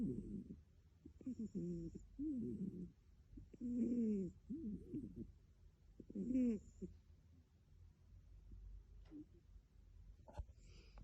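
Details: Pet British cat, adopted, snoring: low, raspy, breathy pulses at an uneven rhythm that fade out toward the end, followed by a few faint clicks.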